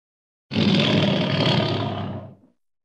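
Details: A lion (Panthera leo) gives a single deep, rough roar lasting about two seconds, then fades.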